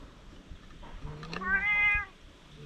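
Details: Stray cat on a Japanese cat island during a sudden fierce quarrel, filmed with a GoPro: a low moan rising into one strained, wavering yowl of under a second, over background noise.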